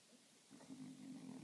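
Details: French Bulldog napping happily in a funny sleeping position, snoring: a low rasping snore begins halfway through and holds steady to the end.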